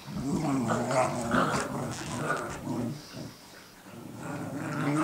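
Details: Dogs Cooper and Sophie, indoors, growl at each other during guard-dog play; a continuous rumbling, rolling growl with rapid pulses, easing briefly near the middle before building again.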